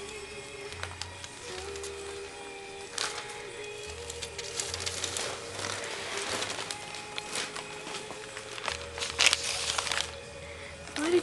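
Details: Music plays throughout, with sustained tones, crackling and rustling over a quiet low background, and no animal call stands out.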